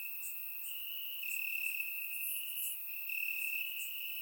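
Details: Warm summer night in Bulgaria with crickets in the grass, surround microphone: one steady piercing trill runs throughout, rising slightly in loudness at times, with soft scattered chirps from other crickets above it.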